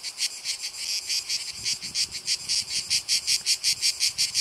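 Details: Cicada orni producing a chain of sharp, dry buzzy pulses that grow more regular and distinct toward the end, nearly three per second, over faint low-pitched noise.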